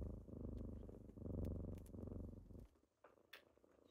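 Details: Low, continuous purring from kittens waking their owner in the morning, rumbling through each breath for about two and a half seconds before stopping, followed by near quiet and a soft rustle.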